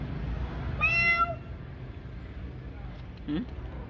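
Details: Domestic cat at feeding time at night giving one clear harmonic meow lasting about half a second, followed by a short low call near the end over steady background hum.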